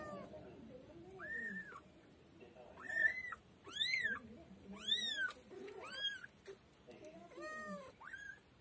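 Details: White female kitten meowing repeatedly, high arched meows rising and falling, about one every second, some short and some drawn out, with faint background voices.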